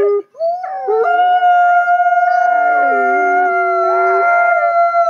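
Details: Captive-born gray wolves in South Salem, New York, howling as social glue; after a short low note, a howl rises and holds a long steady tone while a second, lower voice joins and slides downward.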